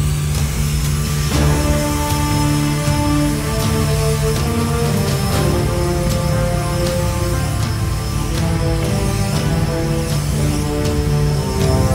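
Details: Loud, dark orchestral soundtrack music with sustained chords and a heavy low rumble throughout, and no animal sound.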